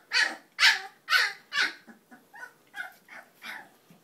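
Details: Cane Corso mix puppies, 22 days old, giving a run of eight high-pitched yapping barks about every half second. The first four are loudest, and the later ones grow softer and thinner.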